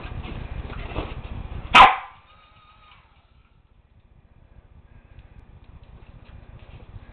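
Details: A corgi gives one sharp, loud bark while attacking bubbles, with a low hum and soft rustling around it.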